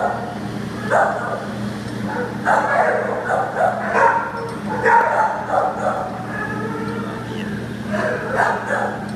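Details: Shelter-housed American Pit Bull Terrier up for adoption, September 2015: a run of rough barks repeated roughly every half second to second, mixed with human speech and a constant low electrical hum.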